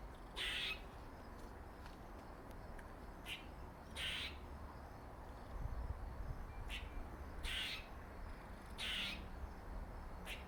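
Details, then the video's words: Harsh bursts from a male squirrel with a dark mark on its face, its funny noises coming as loud rasps every one to two seconds with brief clicks between, over a steady low background rumble. "Squirrel makes funny noises"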